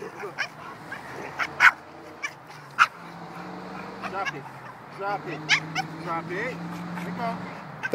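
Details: Bella, a small dog, vocalizes at bigger dogs to get her toy back: sharp short yips scattered irregularly among whiny, wavering cries, over a steady low hum, with a person talking encouragingly nearby.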